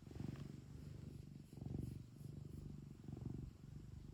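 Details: Pet cat kept at home purring, a deep pulsing rumble rising and falling in steady cycles roughly every one and a half seconds, close and clear.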